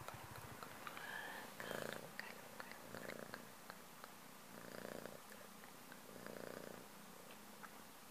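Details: A house cat purrs in low rhythmic swells that rise and fade about every one and a half seconds, with small clicks and rustling nearby in a quiet room.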